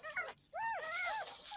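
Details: Ten-day-old rescued kitten being bathed for the first time: a couple of thin, wavering mews, one short and one longer with a falling tail, against a noisy hiss of running water.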